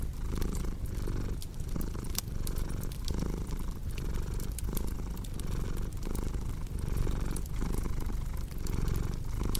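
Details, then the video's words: Deep, continuous cat purr pulsing in regular breath cycles roughly once a second, overlaid with sharp crackles and pops from a cozy fireplace. "Purring Cat with Cozy Crackling Fireplace Sound"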